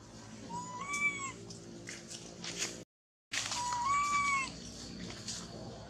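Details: Baby monkey that has lost its mother, hugging a tree and trembling; two arched, plaintive wails a few seconds apart, each rising then falling, over a low background hum, with a brief cut between them.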